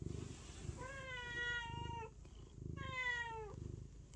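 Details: Pet cat uttering two long meows, the second slightly rising then falling, with a throaty purr pulsing in the background.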